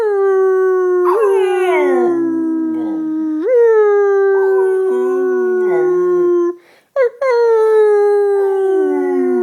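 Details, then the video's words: Pet dog, a female, howling like a fire engine siren: long sustained tones held near one pitch with rich overtones, each starting with a sharp upward jump, then sliding slowly downward; a brief break before the final howl. "Dog howls like a fire engine!"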